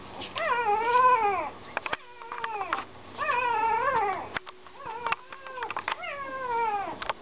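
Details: Puppy crying in repeated long, arching whines, roughly four bouts separated by pauses, with scattered clicks and taps between cries.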